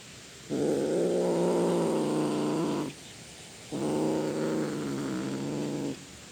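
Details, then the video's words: Cat giving two long, drawn-out roaring yowls, each about two and a half seconds, low and steady in pitch with a rich harmonic tone, separated by a short pause; faint background hiss. "the sound of a cat roaring"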